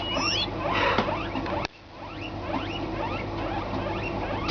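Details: Pet guinea pigs squeal because they think they are getting food: short, high, rising squeaks repeated throughout, loudest at the start, with a person talking in Dutch and calling to them.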